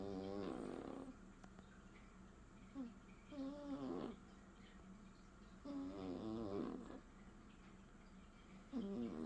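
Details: Snoring from Leo, a cat: rasping, buzzy inhalations mixed with short whistled nasal tones, repeated about every two to three seconds, loud and close over a faint background hum.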